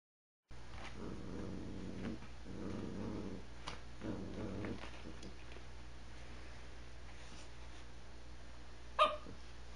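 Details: A Yorkie poo dog growling at a slipper it dislikes, indoors; three sustained low rumbling growls of one to one and a half seconds each in the first five seconds, then quieter breathing and a sharp click near the end.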